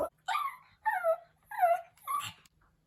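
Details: Pomeranian puppy howling for its absent mother, four drawn-out whining notes about half a second each, each sliding downward in pitch with a nasal, quavering tone, spaced evenly across a few seconds.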